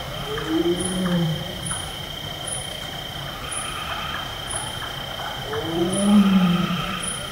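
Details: A wild Bengal tiger in a lowland forest in Nepal gives two deep, moaning roars at night, with a steady insect drone, the chopping call of a Large-tailed Nightjar and the hooting of a Brown Hawk-owl behind.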